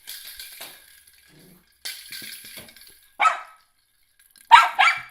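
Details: Miniature schnauzer, eight months old, barking at a toy ball indoors; a person talks to the dog over the first half, followed by three harsh barks, one alone then a close pair.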